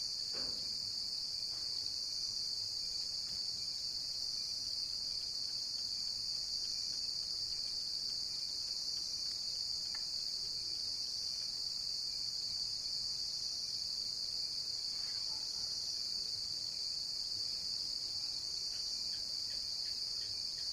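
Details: Long, unwavering high-pitched cricket chirping, a dense continuous trill with steady loudness and a few faint ticks underneath.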